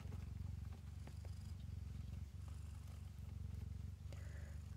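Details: Several kittens purring while nursing from their mother, a steady low rumbling purr with rapid regular pulses throughout, soft clicks and light handling noise over it.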